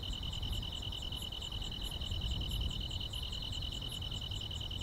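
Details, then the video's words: Summer-night grass insects in quiet countryside, giving a continuous rapid, evenly pulsed high trill topped by brief sharper chirps every half second or so, with steady low-pitched background noise underneath. "여름밤의 포근한 풀벌레 소리"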